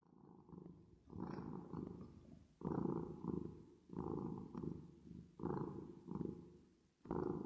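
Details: Domestic cat purring while resting, with an added reverb effect. A low, rumbling purr comes in about seven steady pulses, each swelling and fading as the cat breathes in and out, with short quiet gaps between them.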